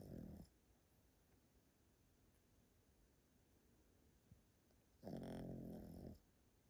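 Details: Old Pomeranian dog Yotaro sleeping and snoring loudly indoors: two hoarse, throaty snores, one brief and one lasting about a second, separated by several seconds of quiet breathing.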